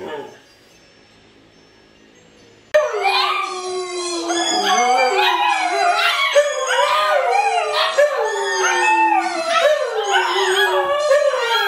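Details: Siberian Huskies Luna, Gizmo, Arya and puppies burst into a group howl after a near-silent opening, several voices sliding up and down and overlapping in a dense, wavering chorus.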